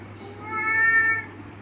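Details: Male domestic cat giving a single drawn-out meow of about a second, steady harmonic tone, indoors with a low hum in the background.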